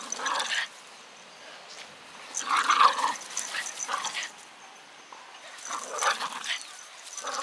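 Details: Japanese Terriers, a 4.5 kg male and a 2.5 kg female, outdoors on 8 October 2021; rough growling bursts at the start, middle and near the end, separated by quieter gaps, with a human voice also present.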